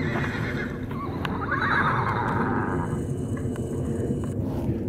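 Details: Wild horses fighting in Arizona: a harsh, strained neigh rises and wavers for about a second amid a constant roar of wind-like noise and thudding movement.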